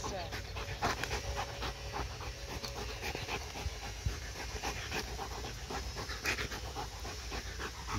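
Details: Domestic dog panting hard after chasing a laser pointer for about twenty minutes, still running though tired; rapid, rhythmic breathy huffs repeat several times a second, with a person's voice talking over it.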